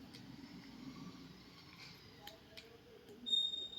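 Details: Quiet indoor room noise with faint speech and a thin high electronic tone near the end, and no animal voice heard.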